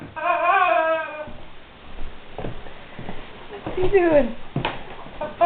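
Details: Guard dog whimpering over a squeaky toy it does not know what to make of: a long, wavering, tonal whine opens, then quieter rustling sounds, then a sharp falling whine near the four-second mark and a brief high squeak.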